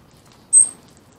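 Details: Round-tailed ground squirrel named Bubba, said to be ready for hibernation, gives a single short high whistle, thin and steady in pitch and lasting about a quarter second, over a quiet low background hum.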